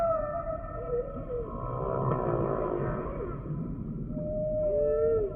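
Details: Humpback whale song with layered harmonic moans, a broad pulsed, rasping section in the middle and a clear rising-then-falling whoop near the end, set against low continuous ocean rumble.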